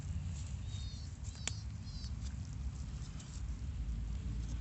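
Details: A horse's stomach growls with a deep, steady, gurgling rumble, with faint high chirps far off.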